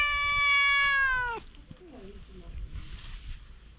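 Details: Meow from a stray cat on Aoshima cat island, Japan: one long, bright, steady-pitched meow lasting over a second and dropping sharply at the end, followed by quieter faint sounds and low background noise.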